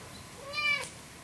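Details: Lucy, a loud, hyperactive ten-year-old orange cat pestering another cat indoors, gives a single short meow, harmonic and slightly rising then falling, with a quiet room behind.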